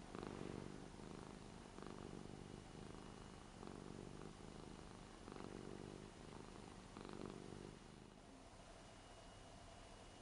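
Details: Ragdoll cat, eight years old, purring in an affectionate mood while being petted on a new bed indoors, despite usually disliking being touched. The purr is low, steady and rumbling, swelling in soft rhythmic pulses about every second.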